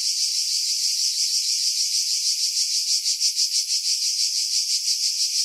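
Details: Pine-tree cicadas at Pefkos Bay, Skiros, Greece, July 2018; loud, sizzling high buzz that swells and pulses more strongly midway, with no other sounds after heavy wind filtering.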